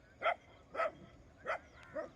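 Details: Dogs chasing off wild boars, barking in the morning: four evenly spaced, mid-pitched barks roughly every 0.6 seconds, the last one softer, over a light background hum.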